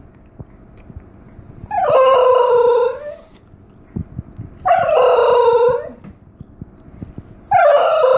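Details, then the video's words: Female Basenji-Whippet mix dog yodeling when she sees someone at the treat jar without being given a treat: three loud, wavering, howl-like calls, each about a second long, sliding up then falling, separated by quiet pauses. "Basenji Yodel - What Sound Does An "African Barkless Dog" Basenji Make?"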